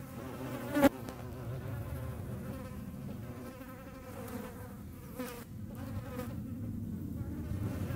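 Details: Hornet hunting flies in the Eifel region of Germany, a steady low wing drone that rises and falls in pitch, with a sharp knock early on.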